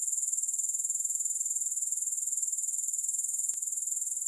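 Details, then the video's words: Steady high sizzling trill from grasshoppers, rhythmically pulsed around four beats per second, with a single faint click near the end. "3 Hours of Grass Hopper Sounds"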